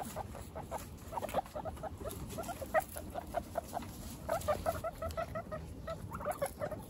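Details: Pet guinea pig babies only a week old give short, bright, repeated squeaks in irregular clusters, some of them doubled. Faint rustling of bedding continues underneath.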